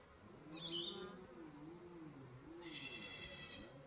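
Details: Honey bees circling a brand new Langstroth hive on day 3 after the rain. Swooping, wavering hums bend up and down as bees pass, with a brief bird chirp above them.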